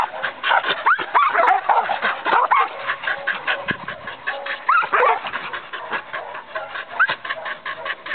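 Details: Australian Cattle Dog, a herding breed, giving short high yips and rising whines that break out over a steady, dense rattling chatter running through the whole stretch.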